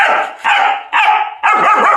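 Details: German Shepherd in chains for the first time, barking hard: four loud, harsh, evenly spaced barks, each rough and broad, with barely a pause between them.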